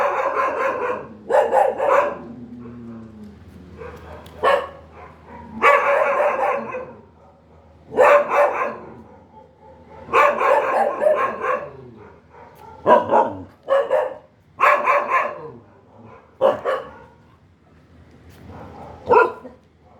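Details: Dog barking in irregular bursts, roughly a dozen harsh, harmonic barks over twenty seconds, some drawn out and some short and clipped, with quiet gaps and a faint low hum between them.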